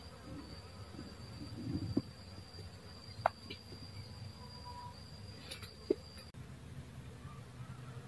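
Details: Faint, steady drone of a dwarf honey bee, broken by a few short clicks and a brief higher whine near the middle.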